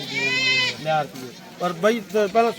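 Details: Beetal goat at the Rakhala goat market in Punjab, held every Wednesday; one sustained, nasal, even-pitched bleat lasting under a second, then men talking in Punjabi.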